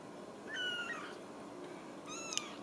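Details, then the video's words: Two thin, high meows from Ragdoll kittens at a home cattery in central Kansas, the first drawn out and slightly falling, the second briefer and rising, with faint background hiss in an indoor room. "Steward Ragdoll Kittens"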